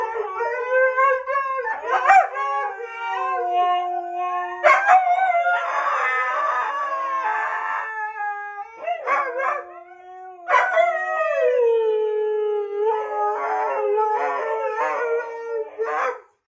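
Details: Siberian Huskies howl together in long, sliding, tonal wails broken by rough, talky yodels, as if singing.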